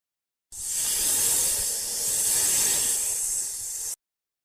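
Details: Snake hissing: one steady, breathy, high-pitched hiss lasting about three and a half seconds, swelling slightly in the middle, with no other sounds.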